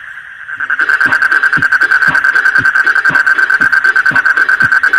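Frogs call at night in a steady, high, ringing trill with soft regular pulses underneath.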